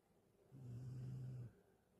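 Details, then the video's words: Carlotta, a Galgo, snoring while asleep: one steady low droning breath lasting about a second, rising and falling smoothly, in a quiet room. "Carlotta schnarcht"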